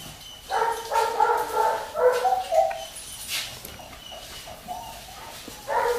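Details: Whining from Bristol, a Labrador mix, in a cat test dated 14 September 2019: a run of high, pleading whines, a lull of near quiet, then another whine at the end.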